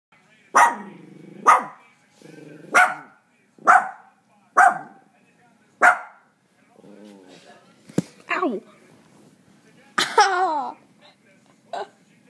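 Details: Sadie, a 7-year-old female miniature Dachshund, gives sharp, high barks about once a second, then a few whining yelps, barking after hearing a recording of her own barking.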